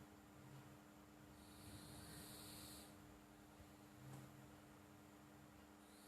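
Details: Sleeping house cat named Flo snoring: one long airy, hissing breath lasting about a second, then quieter breathing with a brief snort, over a low rumble and a constant electrical hum.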